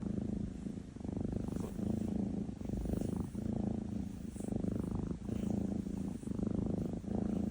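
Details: NaNa, a Maine Coon cat, rumbling while asleep: a low, buzzy, pulsed snore in steady bouts of about a second, each broken by a short pause for breath, quiet room.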